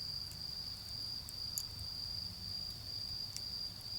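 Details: In a garden by a fire burning down toward charcoal, autumn insects keep up a steady high trill, punctuated by a few bright crackles, with low background noise from far-off cars.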